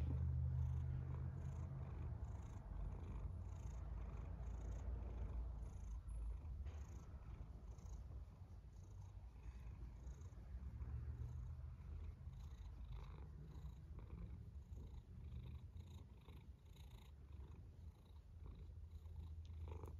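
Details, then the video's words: A domestic cat snoring: a steady, deep, low rumble that pulses rapidly and evenly for the whole stretch, with no other clear sounds. "A snoring cat"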